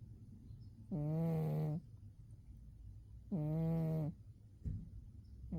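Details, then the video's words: Umi the cat, fast asleep in winter, snoring: two drawn-out, buzzy, low harmonic snores about two and a half seconds apart, each close to a second long, with quiet breathing between. "Umi the cat winter zonks and snores"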